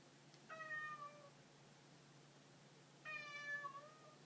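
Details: A pet cat utters two clear meows about two and a half seconds apart, each tonal and level before dipping slightly at the close, with a soft constant hum underneath.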